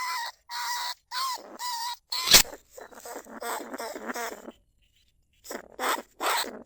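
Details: Lesser bandicoot rat caged as a lure in paddy fields at Na Lao, Nong Khu Phai; spaced, whining squeals, a sharp click, then a chattering run of squeaks, a pause and more squeals.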